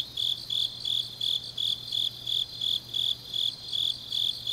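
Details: High-pitched grass insect chirps on a deep autumn night in Changnyeong, South Gyeongsang, Korea. Short shrill bursts come in an even beat of roughly three per second, backed by a soft chorus of other insects and a faint low hum.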